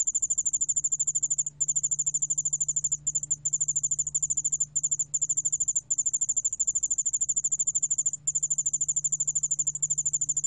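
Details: Sustained shrill ringing trill from a Yeoul-allak-bangul cricket, rapid regular pulses in long runs with several tiny pauses, accompanied by a faint low hum; recorded in 2020 by the National Institute of Biological Resources.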